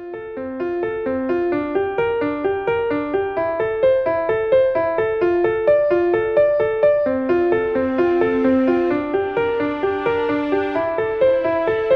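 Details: Bright piano or keyboard music plays steadily throughout, notes repeating in quick, even runs, with no animal sound heard.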